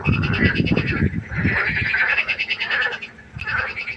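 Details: Frog chorus at night by a pond: overlapping pulsed, nasal croaks layered high and buzzy, with a rumbling burst of low, rapid knocking calls in the first second and a half.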